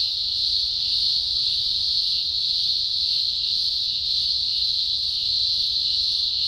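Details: Thousands of green grocer cicadas singing at a large emergence in Australia's Blue Mountains, early October 2020; a deafening, steady high-pitched drone without breaks, slightly swelling and fading.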